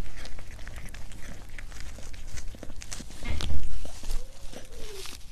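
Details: Close-up ASMR of a cat eating: rapid crunchy chewing clicks, a louder thump near the middle, then a brief thin rising-and-falling squeak near the end over a constant low hum.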